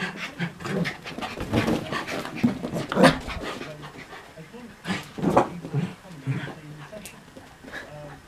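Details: Two Miniature Schnauzers, an older dog and her new puppy brother brought home a week earlier, growl in low rumbling bursts with panting while playing chase and tug during an early-morning romp.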